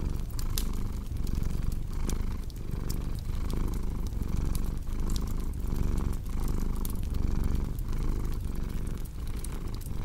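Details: A cat's steady low purr, pulsing in a regular breathing rhythm with brief pauses between inhale and exhale, mixed with frequent bright crackles of burning wood from a fireplace.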